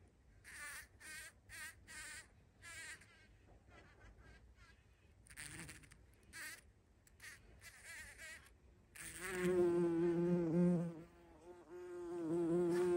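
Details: Bumblebee visiting a feeding spot on 14 June 2023; several short, scattered buzzing bursts come first, then a loud, continuous deep hum sets in and runs to the end, briefly fading once.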